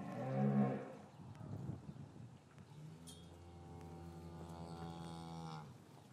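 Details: Cows lowing in a traditional English cattle yard on a winter afternoon, after the calves were separated from their mothers, recorded with a matched pair of Rode M5 microphones: a loud, deep moo opens, then a long, steady, harmonic-rich moo follows after a pause.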